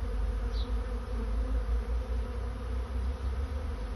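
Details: Swarming honey bees looking for a new home make a steady, thick drone with layered humming tones throughout. One short high chirp sounds early on.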